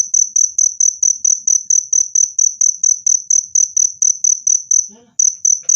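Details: High, ringing cricket chirp, described as loud and clear and useful against rats, repeated in quick regular pulses about four per second, pausing briefly near the end before resuming.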